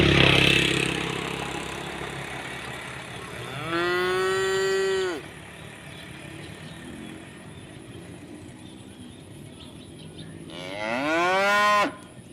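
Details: Tame cows grazing in village rice fields call their friends to eat; two long, loud moos about seven seconds apart, each rising then falling slightly, over quiet rural background hum.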